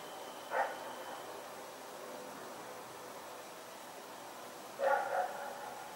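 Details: A dog named Rex barks while running about in the night, recorded 21 September 2018: one short bark, a long quiet gap, then a doubled bark near the end over faint background noise.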